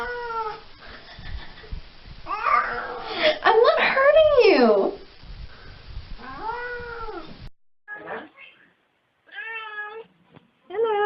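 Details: Domestic cat making weird noises: a string of loud, wavering, sliding meows and yowls, then several shorter arched meows separated by brief silences.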